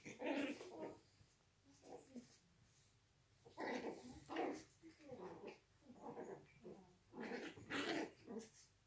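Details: Registered Yorkshire Terrier puppies from a breeding kennel in Austria, fighting indoors. Short, rough growls and yappy snarls come in bursts about once a second, with a brief lull midway and faint room noise beneath.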